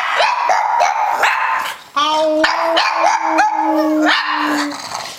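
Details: Pet female pug vocalising while doing tricks: a few short whines, then a long, steady, low, moaning howl held for nearly three seconds with a brief break, as a person's voice mixes in.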